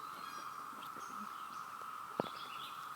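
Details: Widespread cicada chorus, likened to a waterfall: a flat, constant mid-pitched hum that never breaks, with faint high bird twitters and a single loud knock partway through.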